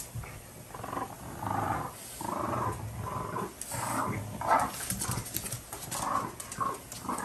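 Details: French Bulldogs scuffling over a toy duck, giving continuous throaty growls that swell into louder rasping bursts about every second, with low rumbling underneath throughout.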